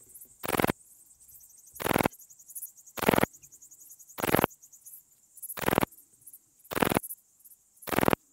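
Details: Graceful bush-cricket (Pachytrachis gracilis) singing at Vela Ucka, Croatia, on 30 July 2023, picked up with a Pettersson D 100 ultrasound detector; seven short, dry, broadband chirps spaced about 1.2 seconds apart over a quiet background.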